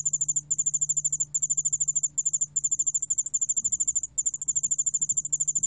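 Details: Yeoul-allak-bangul cricket singing, recorded in Korea in 2020 by the National Institute of Biological Resources: very high, tinkling pulse trains broken into short bursts of about a second, separated by tiny gaps, faint hum beneath.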